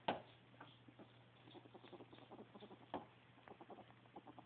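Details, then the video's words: Happy ferret making quick, soft clucking chuckles in short irregular bursts, with a louder click near the start and another near three seconds, over a steady low electrical hum. "Happy Ferret!!!"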